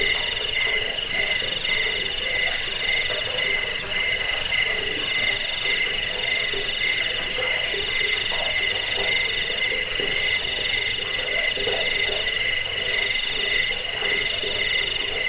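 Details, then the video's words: Crickets used for repelling rats, bedtime listening and training birds: a thick wall of shrill, rapidly pulsed chirps at several pitches, joined by a very high regular ticking, steady throughout with no other sounds. "suara jangkik pengusir tikus pengantar tidur"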